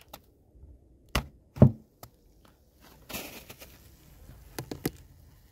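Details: Sharp isolated knocks and taps, like wood being struck, separated by near silence with faint low rumble, during a winter visit to a snowy apiary.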